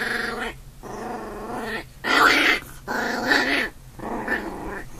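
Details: Two puppies fighting indoors, an older big brother and a newborn: a string of harmonic growls lasting about a second each, separated by short pauses, with rasping peaks in the middle bursts.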